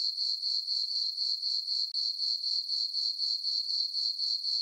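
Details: Crickets chirping on a summer night in a farm meadow under a full moon: a steady high, shrill trill pulsing about four times a second, with a brief break near the two-second mark and no other sounds.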